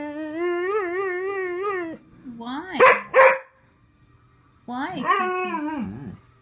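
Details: Indoor dog, upset because another dog wants onto the bed, gives a steady wavering whine. Two short sharp barks follow after a pause, then a falling, quavering howl. Music plays faintly in the background.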